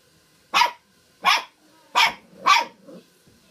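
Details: Poodle barking on the night before Christmas; four sharp, bright barks about three quarters of a second apart, with a softer short fifth sound at the end and a quiet room behind.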